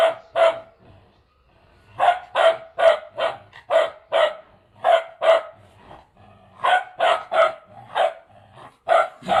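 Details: Two-month-old Bhotia puppy from Mustang barking in quick bursts, mostly paired or triple yaps repeated about every half second, with a short pause midway and a brief quiet gap before the barking resumes.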